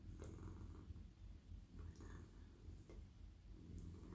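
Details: Friendly, very soft male domestic cat purring while being stroked on the head, neck and body; a steady low rumbling purr with brief pauses, faint rustling of fur and hand contact above it.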